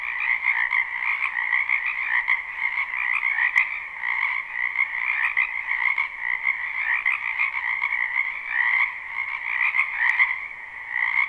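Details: Loud chorus of many frogs in a spring wetland, captured live with no looping: rapid pulsing high trills overlapping densely, a few sharp clicks standing out now and then.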